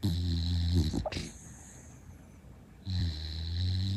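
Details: Female rescue Shiba Inu, born September 2016, asleep indoors: two long, loud, low droning snores, one at each end, separated by a quieter breathing pause with a brief click.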